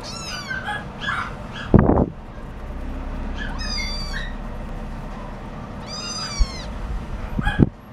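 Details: Scottish Fold cat meowing: three drawn-out, bright, whining meows, the first bending down and the later ones arching, spaced a few seconds apart, with a couple of sharp knocks and a low background rumble between them.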